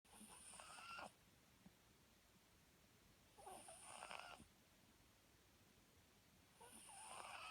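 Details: A Papillon dog asleep snores in a quiet room, with three breathy, rasping snore breaths about three seconds apart, each lasting roughly a second and carrying a hissing high edge.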